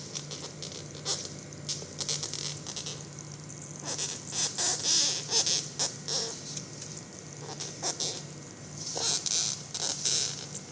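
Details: Large beetle with 15 cm antennae, sprayed and lying on its back on the floor, making loud breathing-like, choking sounds: raspy, high hissing bursts in irregular runs, roughly three per second, swelling louder midway.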